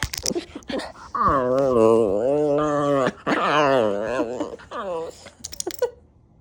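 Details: Klee Kai dog getting feisty as the sun goes down, vocalizing indoors: two long, wavering, howl-like moans of about two seconds each, rising and falling in pitch, with short chirps and a woman speaking around them.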